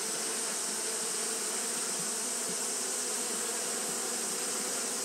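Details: A short stretch of Japanese honey bees fanning in hot weather: a continuous, even buzzing hum with a strong airy hiss, no breaks or pauses.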